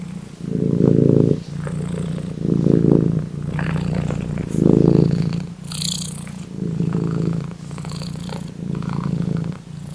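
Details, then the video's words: House cat purring close up, a low vibrating rumble in repeated breathing cycles, louder swells about every two seconds, with occasional light rustling and clicks. "You won't be able to resist my cat's purring"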